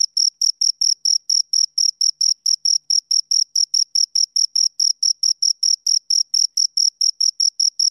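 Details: Two crickets chirping: an unbroken train of short, shrill pulses, about four per second, evenly spaced and steady in loudness, with a fainter higher overtone above each pulse and no other sounds.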